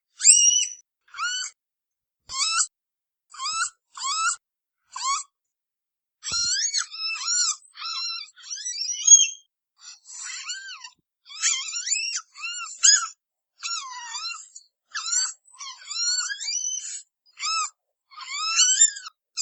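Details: Red panda calls: a run of high, harmonic squeaks and twittering squeals, sparse at first and then denser and more chattering, the notes rising and dipping. A faint thump near the start; otherwise quiet.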